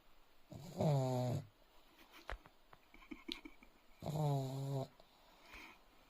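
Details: Leo, a sleeping dog, snores in a small room: two deep, buzzing snores about three seconds apart, each lasting under a second, with faint snuffles and clicks in between.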